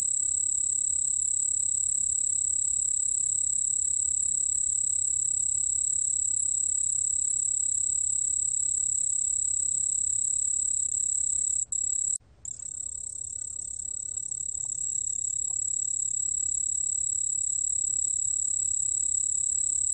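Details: Song of a white-whiskered bell cricket, a 2020 recording from Korea's National Institute of Biological Resources: an unbroken, piercing high-pitched trill holding one even pitch, with a short gap around twelve seconds.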